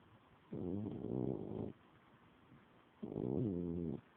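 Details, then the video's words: A 17-year-old mother cat snoring, recorded on an Android phone: two rough, low, drawn-out breaths, each about a second long, separated by a quiet pause. "17 year old momma cat, Spook snoring.."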